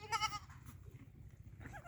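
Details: Black Bengal goat on a farm: a short bleat with stacked harmonics near the start, then quieter low background rumble.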